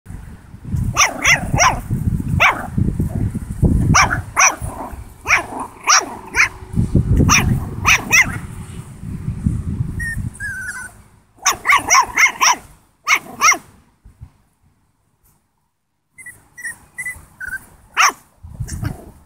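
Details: A 7-week-old Italian Greyhound puppy, facing off with a pig, gives bursts of sharp, high yapping barks mixed with low rumbling grunts.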